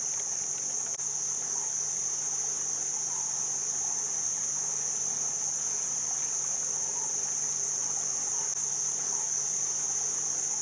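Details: Loud cicada chorus around a jungle-like hotel close to Chiang Mai, Thailand. An unbroken piercing high whine holds level throughout, over a low wash of running water and one faint click.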